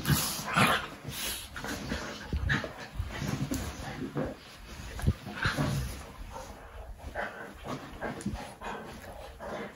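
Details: Two Labradors, fox red puppy Maverick and chocolate Leo, wrestling in play: bursts of gruff growling and huffing mixed with scrabbling and bumping noises, rising and falling in loudness every second or so.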